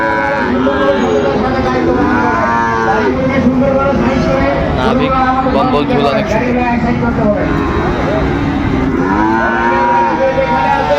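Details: Sahiwal bull calves at the crowded Ranigonj cattle market in Dinajpur, Bangladesh, in August; several arched, wavering moos repeat through the stretch, one near the start and another near the end, over constant crowd murmur and traffic.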